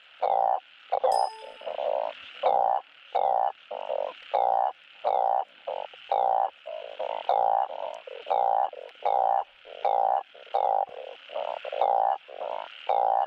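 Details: Asian painted frogs calling for mates, a recording played on a frog farm to spur breeding. Short, nasal, even croaks repeat rapidly from at least two callers, one louder and one softer, overlapping and alternating. A brief ringing click sounds early on.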